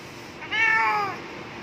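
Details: Domestic cat outside a window, being coaxed to come inside and offered food, gives one drawn-out meow lasting about half a second, starting higher and gently sliding down in pitch, in a quiet room.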